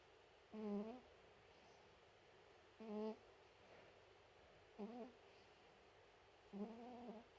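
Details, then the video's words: Chihuahua snoring: four soft nasal snores, each under half a second, repeated roughly every two seconds over a quiet hiss. "いびきをかくチワワ(Snoring dog)"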